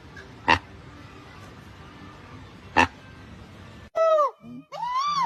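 A monkey gives loud, squealing calls that arch down and then swoop upward, after two sharp pops.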